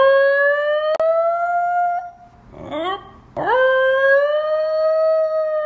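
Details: A 7-month-old black male Basenji pup gives his first voluntary yodel, 19 August 2018: a long, clear, slightly rising tone that breaks off, then swoops up into another.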